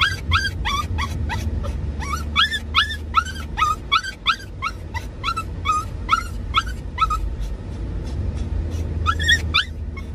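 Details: Excited Doxiepoo, a Dachshund and Toy Poodle cross, crying continuously in a moving car while following its owner riding ahead; quick repeated squeaky yelps that bend upward, in dense runs with brief pauses, over low road noise.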